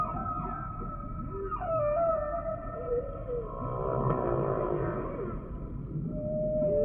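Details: Humpback whale song: drawn-out tonal moans with stacked harmonics near 500 to 1000, a falling swoop at one and a half seconds and a rough, pulsed groan mid-clip, over a steady low underwater rumble.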